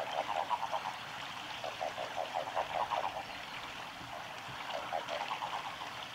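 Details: Japanese common toads at a nature observation garden of a nature conservation centre, 19 March 2022, give short, pulsed, mid-pitched croaking notes in overlapping bursts over a steady background hiss.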